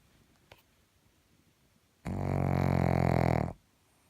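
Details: A sleeping pug lets out one long, rattling snore of about a second and a half after a quiet pause, deep and harmonic-rich.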